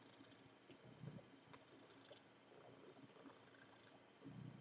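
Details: Male pet cat mounting his worn teddy bear indoors, giving a low, continuous rumbling purr with soft rustling and faint higher hissy noise over it.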